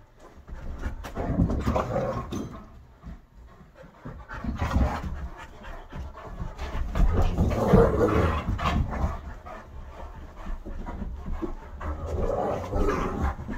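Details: Rough-and-tumble play indoors by three dogs (Great Dane, wolf-hybrid, Aussie mix, with Bo visiting): fast, heavy panting rises and falls in waves, with thumps and scuffles of bodies on the living-room floor.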